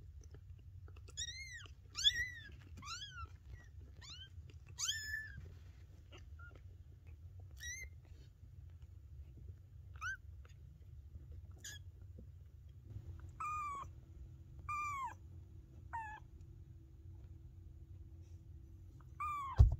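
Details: Maine Coon kittens meowing indoors: a series of small, thin, high meows, several in quick succession early, then scattered single meows, over a low steady hum.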